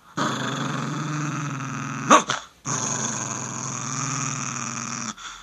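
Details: Slim, an Italian Greyhound, growling at a finger he feels threatened by; two sustained throaty rumbles of about two seconds each, split by a brief sharp snarl.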